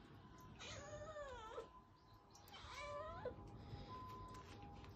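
An Abyssinian cat gives two drawn-out, wavering meows, demanding treats.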